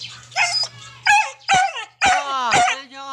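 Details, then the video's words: A 'talking' pet dog gives drawn-out, wavering yowls and moans that slide in pitch, some stretched into longer, whiny phrases, with a person's voice nearby and a low background hum. "the talking Dog"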